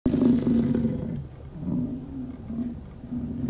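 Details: An American bison bull in the rut gives a deep, rumbling roar of over a second, then lower throaty grumbles, where bulls roar challenges; near the Lamar River bridge, Yellowstone National Park.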